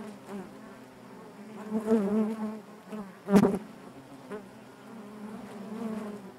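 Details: Honey bees in their hive give a continuous low, layered buzz, brightening in two louder bursts, one sharp knock-like crackle in the middle.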